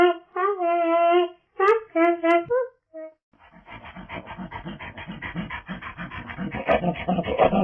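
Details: Proboscis monkey calling. It gives a long, nasal, harmonic honk, then shorter honks in a broken series. A rough, rapid run of grunting, panting noises follows and grows louder toward the end.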